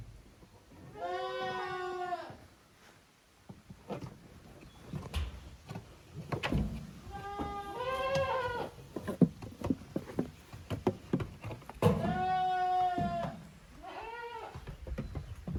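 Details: Goat kids of Koharu and Okayu, playing in two teams on the exercise ground of a handmade goat farm in Japan, 13 June 2023. Three wavering, harmonic-rich bleats, the last a double, separated by scuffing and thumping of play.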